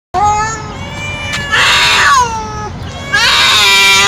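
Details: A young male street cat yowls loudly, possibly from hunger, in long, drawn-out, wavering calls. Each call holds steady before sliding downward, and louder, rougher bursts break in near the middle and the end.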